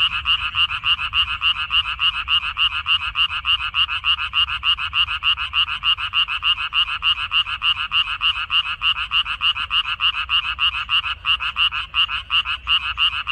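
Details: Frogs massed in a Korean water-dropwort field, May 2021, giving a relentless rhythmic croaking chorus of about three pulses per second, loud and even, a few short dropouts near the end, steady low rumble behind.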